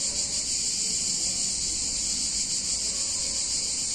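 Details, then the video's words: Summer cicada chorus in a picturesque Italian town on a hot day, an unbroken, very high, sizzling drone with slight pulsing in loudness and only soft low background noise. "Cicadas In Warm Summer Day In Italian Town"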